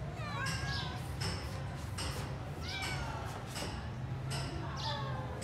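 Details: Grey stray kitten wanting into the house, found abandoned in a yard on 26 January 2024: short, sharply rising meows repeated roughly every second, with soft knocking sounds and a low background hum.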